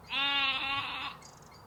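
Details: Sheep among lambs: one loud, wavering, richly harmonic bleat lasting about a second, then a quiet stretch with faint high chirping in the background.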